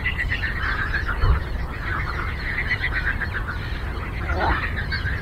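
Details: Frogs chorusing on a lake: a dense, continuous mass of overlapping pulsed, rattling croaks from many animals at once, with a steady low rumble underneath and a brief thump just after one second.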